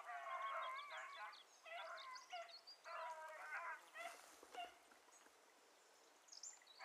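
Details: Beagles chasing a hare that had crossed through water, baying in the distance: repeated bursts of harmonic yelping cries, each about a second long, separated by short pauses, with faint rustling and background hiss.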